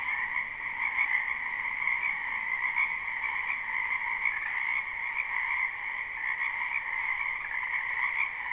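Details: Spring frogs massed in a wetland, live and unlooped: continuous high trilling croaks blended into an even wall of sound with a softer lower band, no individual callers standing out and no other noises.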